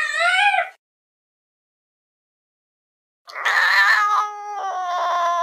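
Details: Window-watching fluffy cat gives a brief meow, then after a pause a longer harsher cry that wavers and breaks into choppy, stuttering tones.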